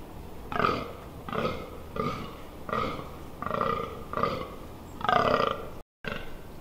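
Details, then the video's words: Rutting fallow deer in the Amsterdam Water Supply Dunes, Netherlands, heard at close range on 18 October 2021: a series of about nine deep, rasping, burp-like groans, repeated roughly every 0.7 seconds at a steady rhythm, with no other clear sounds. "Damherten Bronst"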